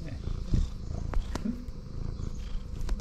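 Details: In the morning, a friendly female tuxedo cat comes close to the camera and purrs in a low, steady, rumbling drone while a person speaks softly and affectionately nearby.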